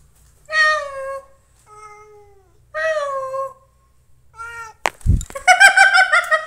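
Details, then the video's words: Cat giving four clear, drawn-out meows, each a falling tonal wail lasting about half a second to a second, spaced by short pauses, followed by a sharp thump and a burst of louder, rougher meowing. "meow meow"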